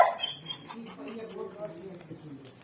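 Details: Sad dog crying and whining as if complaining: a sharp high whimper at the start, then a string of wavering, nasal whines sliding up and down in pitch, with faint voices in the background.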